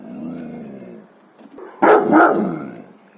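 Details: An Akita, a breed that rarely barks and only when there is a serious reason to check, gives a deep, harsh warning bark after a low, drawn-out grumbling whine.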